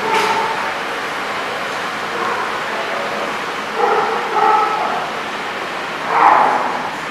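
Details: Barking dogs at The Barking Lot on 4/22/16, a few separate barks spaced irregularly over several seconds against constant background noise.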